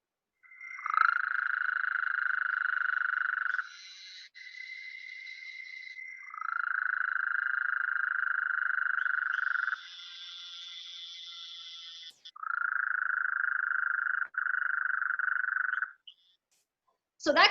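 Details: Gulf Coast toad in the Southeast Texas (Houston) area giving long, steady, medium-pitched trills, with the higher nasal buzz of an Eastern narrow-mouthed toad calling between them.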